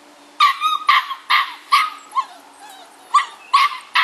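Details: Six-week-old bulldog puppies from a Felony x Noah litter, described as rowdy while playing with a rope toy, give a run of short, high yapping barks, about nine sharp bursts in four seconds with brief gaps.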